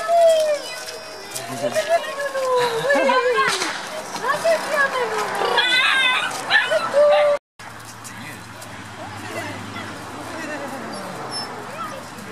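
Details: Seven-and-a-half-week-old Beauceron pups from the nine-strong litter of Ingalls and Jaeger, walking outdoors: bending, sliding whines and yips for about seven seconds, a short break, then a low steady rumble with faint chirps.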